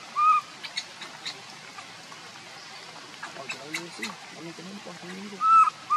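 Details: Hungry baby monkey Leo begging its mother for milk gives short, piercing, whistle-like cries with a slight rise and fall, one at the start and one near the end. Low murmuring voices and light rustling fill the gap.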